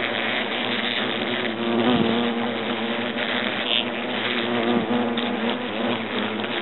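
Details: European hornets swarming from their nest in an oak trunk at Agen, France, as it is destroyed, making a dense, continuous droning buzz of many wingbeats that swells and wavers without pause.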